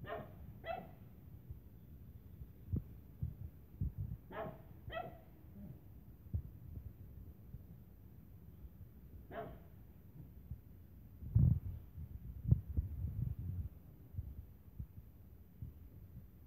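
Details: A Lhasa Apso gives sharp, high, yappy barks in short pairs while playing with a Tibetan Terrier.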